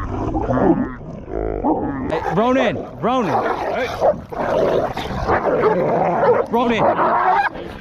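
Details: Dogs in a fight at a dog park, a territorial Pit Bull attacking a Belgian Malinois: sharp, arching yelps and whines rise and fall in quick succession, with agitated human voices overlapping throughout.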